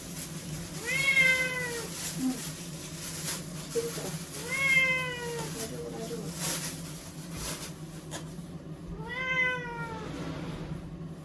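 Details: Crying ear-tipped cat Chanta, caught and kept in a bathroom for shelter from a record-class typhoon, Okinawa, September 2020; three long plaintive meows spaced several seconds apart, each rising then sagging, with steady hum and hiss behind.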